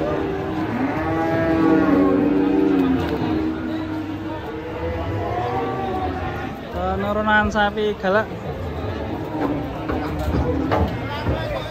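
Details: Raging cow gives a long, loud, deep moo that slowly falls in pitch, then shorter broken bellows; human voices and clatter are heard around it.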